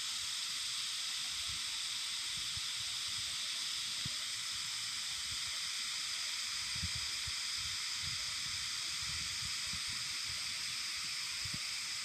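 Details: Cicadas whose voices are remembered from childhood, their calling likened to a rumbling of the earth: a dense, unbroken shrill drone in layered bands, steady throughout with no pauses, faint low thumps beneath.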